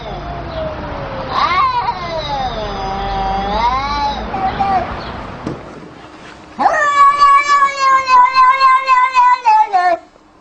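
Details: A cat making funny sounds gives a long, wavering, moaning yowl, then after a short pause a rapid pulsing run of quavering cries, about three to four per second, ending abruptly.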